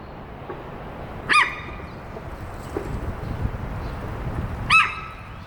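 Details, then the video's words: Hokkaido sika deer Amanda, a 15-year-old female at Sapporo's Maruyama Zoo, suddenly on alert, 20 April 2026: two short, loud, high squealing calls with rising-falling pitch, about three and a half seconds apart, over a low background hum. "エゾシカが突然警戒！周囲に響いた謎の鳴き声〜The Hokkaido deer is making a warning noise"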